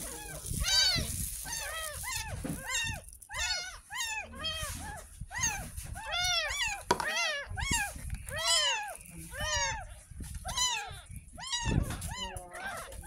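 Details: Ten-day-old rescued kitten during its first bath, giving a steady run of shrill, arching mews, roughly two each second, under soft background music and occasional talk.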